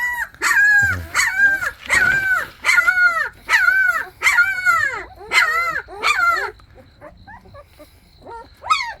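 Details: Jindo puppies, a lively litter including a black-and-tan pup, loudly whine and yelp in a steady run of about eight arching, harmonic cries, each bending down at the end, followed by softer, trailing whimpers.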